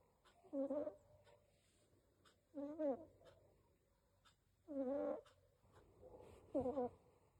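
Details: A sleeping Persian cat snores in nasal, buzzy breaths, each lasting under half a second, repeated about every two seconds in a quiet room.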